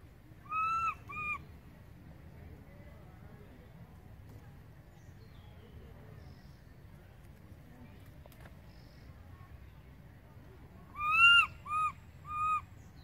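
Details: Baby monkey Berry calls loudly for its mother Beaker, who has gone far off. Two short tonal cries come first, then a long quiet gap, then three more rising-and-falling wails close together near the end.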